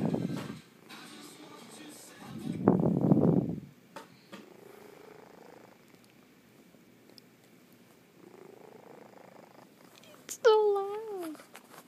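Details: A domestic cat sleeping and snoring indoors: low, breathy rumbling bursts around two to four seconds, softer rising breaths between, then a short high wavering meow-like sound near the end.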